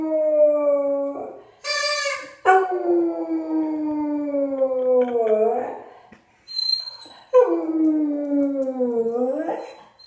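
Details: A pet dog howls, seemingly annoyed by a sound, in long drawn-out tones that slowly slide downward and end with a short dip, three howls separated by brief pauses, with a short higher yelp near the start.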